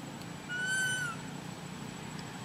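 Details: Little pet monkey crying because its mother is not caring for it: a single clear, tonal whine lasting about half a second that rises slightly and then falls, against a quiet indoor hum.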